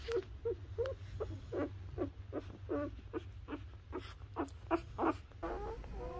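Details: Newborn Labrador Retriever puppies nursing on their mother: short, faint squeaky whimpers repeated quickly, roughly two to three per second, over a low steady hum.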